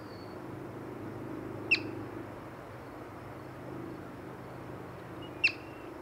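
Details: Yellow-bellied marmot, encountered while birding, giving two sharp, high whistled chirps about four seconds apart over a quiet background with a faint low hum.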